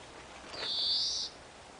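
An English Springer Spaniel puppy gives a single thin, high-pitched whine that swells slightly and then stops.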